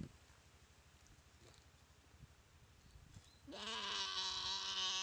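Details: Goat in a jungle dry riverbed at Komodo Village, paralysed after a Komodo dragon bite and being eaten alive. Low background hush for about three seconds, then one loud, strained, harmonic bleat holding steady through the final second and a half.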